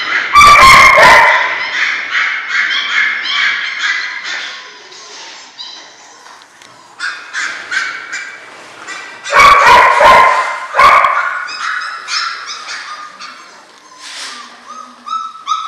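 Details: German Shorthaired Pointer litter, six weeks old: loud harsh yelps open and recur midway, between them runs of thin high whines and squeaks from several puppies, fading quieter toward the end.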